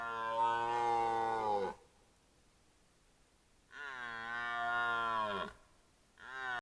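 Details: Roaring red deer bull in the 2025 rut, caught on a camera trap: a loud harmonic bellow that drops in pitch at its close, a gap, another long groaning roar, then the start of a third.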